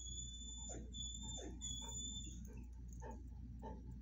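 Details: Greeting a friend, Bull Mastiff Watson and Vizsla Penny give short falling whines, repeated roughly every half second. A steady thin high tone runs through the first half over a low background hum.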